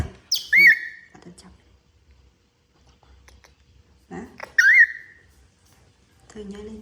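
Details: Baby monkey crying: two loud, high whistled cries, each rising then falling, about four seconds apart, with a person talking in Khmer before and after.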